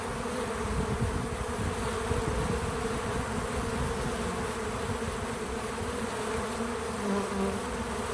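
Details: Several bees at an outdoor feeder on a small farm give a continuous, even hum with faint higher tonal overtones that waver as individuals come and go.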